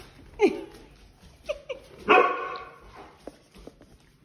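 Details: Siberian Husky indoors, giving a few short harmonic yelps early on, then a longer, drawn-out whining bark that trails off, with faint quieter sounds afterward.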